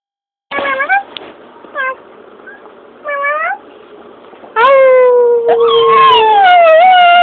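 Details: A pet dog that does not bark gives its odd little howl in response to certain noises: three short wavering wails, then a long, loud howl sliding slowly downward and ending in a drawn-out, quavering tone.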